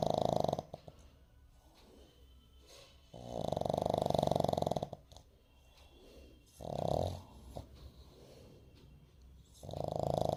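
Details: Sleeping puppy, eyes slightly open, snoring indoors: long droning snore bursts of about two seconds each, separated by quieter breathing gaps, with a shorter snort in the middle.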